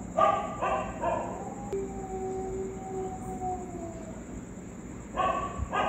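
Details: Street dogs reacting to a ghost sound: a quick run of three barks, then a long falling whistle-like tone, and two more barks near the end, with a constant high-pitched hum behind.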